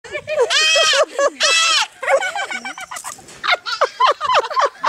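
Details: Baby goats making a lot of noise: two long, wavering, nasal bleats in the first two seconds, followed by a burst of shorter, choppier bleats and cries.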